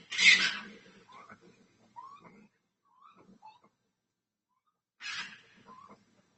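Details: Overnight doorbell-camera recording of what is thought, after research, to be a red fox: two harsh, hoarse screams several seconds apart, with softer rasping notes between.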